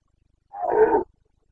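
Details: Carpathian red deer stag in the Bucovina mountains during the breeding season, 29 September 2022: one short, harsh roar of about half a second, rough and throaty, in otherwise quiet surroundings.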